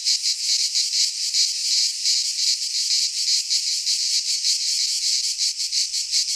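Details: Cicadas singing in midsummer in a pine forest in Greece: a dense, loud, buzzing rasp held high and continuous, pulsing in rapid regular throbs about three per second, with no other sounds.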